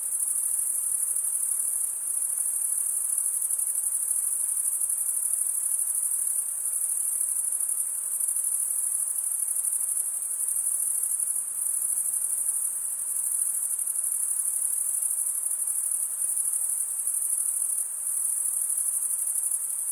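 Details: Continuous shrill cricket chorus: a very high, even buzzing trill with faint rhythmic pulsing that barely changes in loudness, over quiet low hiss.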